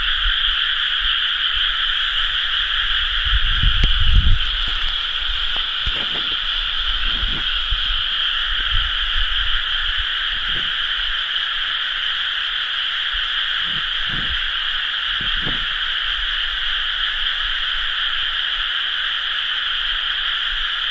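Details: Many frogs calling together in rice paddies during rice-planting season, 30 May 2011, forming a continuous shimmering croak chorus in two layered pitches, with scattered low thumps and rumbles in the first half.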